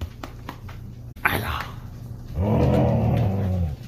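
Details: A female Siberian husky protecting her toys gives a low, rumbling growl-roar that rises and holds for over a second.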